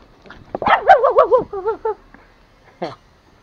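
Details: Angry toy Pomeranian named Pomo, a male pet living in Kathmandu, Nepal, attacking: a rising warbled growling whine breaking into wavering yelps over about one second, then shorter wavering cries and a final sharp bark.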